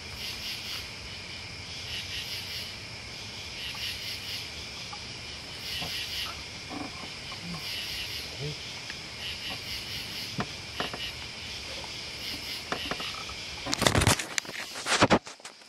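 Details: Cricket and bug chorus of continuous high, pulsing trills, with scattered faint clicks and taps in the middle and two loud, harsh rustling bursts near the end.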